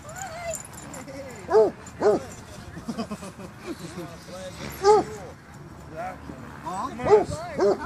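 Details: Scattered loud barks from Basset hounds at a dog park come in pairs and singles, with brief bays between them. People converse quietly beneath.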